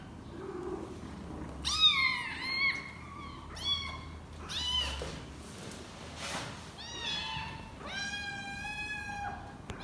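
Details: Cat; hunger cry; kitten telling its mother it needs food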